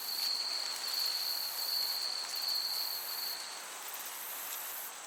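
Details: Crickets in a summer meadow: a steady, shrill, very high pure tone holds for about three and a half seconds and then stops, with faint rapid pulsing even higher above it over a soft breeze hiss.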